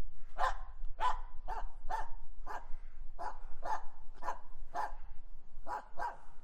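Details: Female Finnish Spitz Aamu barking at a squirrel she found during a walk in wet falling snow, January 2022: a steady series of about eleven clipped, ringing barks, roughly two per second, little else audible.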